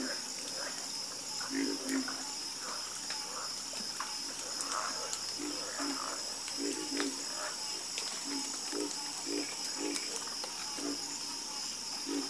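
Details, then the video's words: Several frogs croak together in a calming chorus. Low, hollow, knocking croaks come in rough bursts every second or so over a constant, shrill insect drone. "Calming Sound Of Harmonious Frog Croaking"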